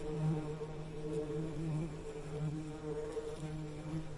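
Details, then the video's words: Bees buzzing: a steady low hum with stacked harmonic bands, swelling and fading as insects pass close, with overlapping tones suggesting several bees at once. "Soothing Bee Buzzing Sound"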